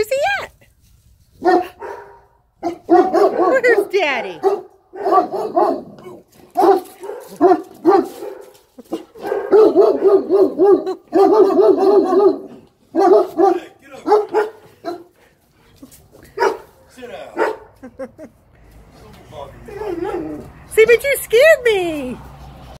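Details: Two Great Danes give deep, excited barks and whining yelps greeting their owner home after a long day at work, with a person talking between them.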